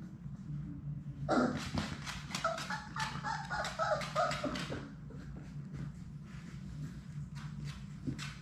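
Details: Sadie's six Labrador Retriever puppies at play in an indoor puppy room break into a busy, overlapping burst of yips, squeals and small barks lasting about four seconds, then quieter scattered noises.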